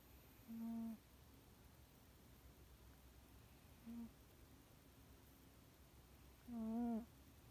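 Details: Soft snoring from Yukio, a house cat, sound asleep indoors: three quiet, humming, whistle-like breaths, the first and last longer and the middle one brief, over a faint steady room background.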